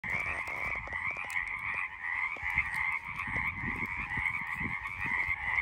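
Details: Frogs calling on the side of a road: a dense, unbroken chorus of high trilling croaks in two steady pitch bands, over low thumps and rumbling handling noise.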